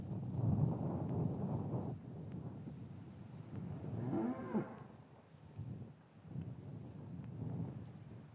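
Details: Cows lowing in a traditional English cattle yard on a winter afternoon after the calves were separated from their mothers; low drawn-out moos with a rising, wavering call midway, recorded with a matched stereo microphone pair amid quiet yard shuffling.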